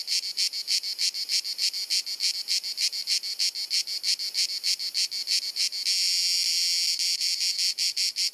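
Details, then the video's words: Croatian summer cicada song from Dalmatia on a hot afternoon: shrill buzzy pulses about three per second, then after six seconds the pulses merge into a continuous high drone before pulsing resumes. "Cicada Singing ☀️ Pjesma Cvrčka ☀️ Chant des Cigales ☀️ Zikaden Geräusche ☀️ アブラゼミ☀️Cigarra Cantando"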